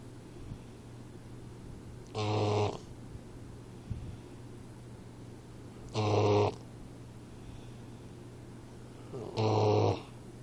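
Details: A 4-month-old Boxer puppy named Troy snores while sleeping. Three strong, raspy, buzzing snores come roughly every three and a half seconds, each lasting half a second. A low hum continues throughout.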